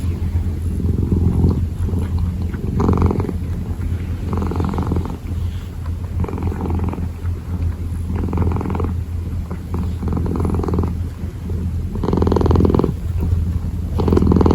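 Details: Kitten kneading and purring, a soft low hum broken into regular swells roughly every one and a half seconds, growing louder near the end.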